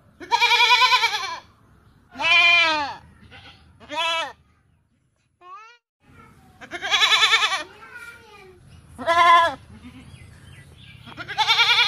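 Goats bleat loudly in wavering, nasal cries, each lasting about a second, separated by brief pauses.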